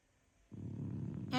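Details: A female French Bulldog sleeps in the morning after a restless night, snoring with a low, rattling rumble that starts abruptly and holds steady.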